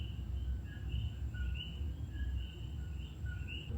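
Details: Several common coquís, tiny frogs only 1–2 inches long, call loudly in an overlapping chorus at night in Puerto Rico. Their clear, bird-like two-note whistles repeat about twice a second over a steady low rumble.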